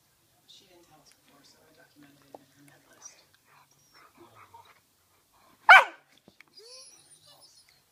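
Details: Ibizan Hound puppy playing wildly gives one loud, sharp bark after a quiet stretch filled with soft murmured speech and light rustling.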